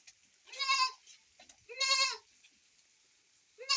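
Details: Goat at milking time on a rainy day; two loud, harsh, trembling bleats about a second apart and the start of a third, over a background hiss of falling rain.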